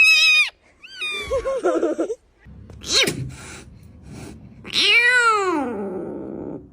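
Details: Frightened domestic cat crying out: several loud, high, arching wails that rise then fall, with short broken yowls between and music in the background.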